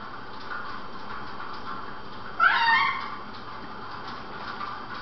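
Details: One short, wavering cat meow in the middle of a steady noisy background hiss, lasting about half a second.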